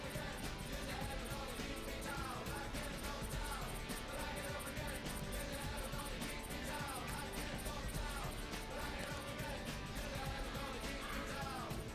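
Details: Continuous rock music plays throughout, and no animal sound can be heard.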